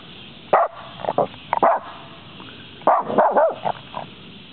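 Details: At a woodland edge, a small dog keeps barking after chasing off a deer, giving sharp barks in two bursts, a few single yaps, then a rapid cluster of four or five.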